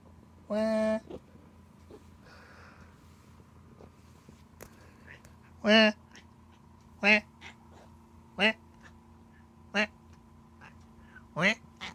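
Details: Cat making strange 'an-an, aan' cries: one drawn-out harmonic meow, then a run of short, clipped meows about every second and a half, over a steady low hum.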